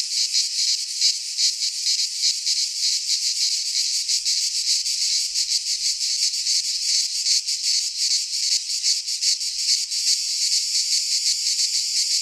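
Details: Greek cicadas in a pine wood during midsummer produce an unbroken, high, sizzling drone with fast irregular flutters in loudness throughout, no birds or people heard.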